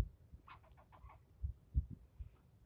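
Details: A squirrel yelling at a human intruder, a brief burst of rapid, slightly buzzy barks in quick succession, followed by low knocks and rustling.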